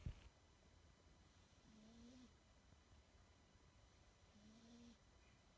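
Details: Sleeping kitten snoring softly, with two faint squeaky, slightly rising tones about two and a half seconds apart over a quiet low rumble of breathing.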